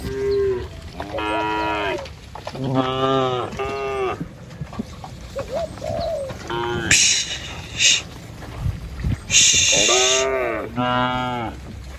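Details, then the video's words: Herded tame village cattle cross a wooden bridge on a wet rice-field track heading to pasture. Several loud, rich moos follow each other, some rising then falling, with short hissy bursts and faint bird chirps between. "Gembala Krumunan Sapi Lembu Jinak Berjejer Melewati Jembatan Kayu Menuju Rumput Sedap Suara Moouu"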